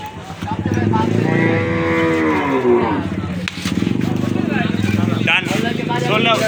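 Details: Cattle at a night cattle market in Postogola, Old Dhaka, 2025: one long, low, droning moo lasting about two and a half seconds, with people talking, crowd bustle and a running engine throughout.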